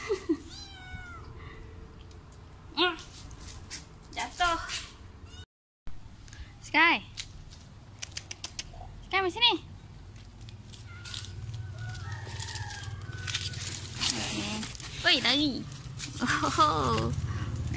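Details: Domestic cat eating medicine, meowing repeatedly in short rising-falling cries, several in quick bursts, with people talking and coaxing it nearby indoors.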